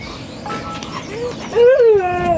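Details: A dog whines at Seal Point Dog Park, western San Francisco Bay, March 5, 2015. The loud nasal tone rises, peaks, then falls away and holds steady, after a softer short whimper, as people chat about the dogs.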